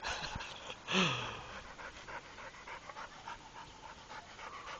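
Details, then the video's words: Trained Pit Bull named Rako panting in quick, breathy rhythmic bursts, with one louder sharp sound near the first second that fades into steady huffing. "Pitbulls Rako entrenado"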